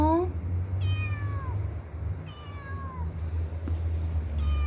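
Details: Kitten that lost its mother, crying to people through the night: thin, high, falling meows, several in a row, with a constant high electronic whine and low hum behind.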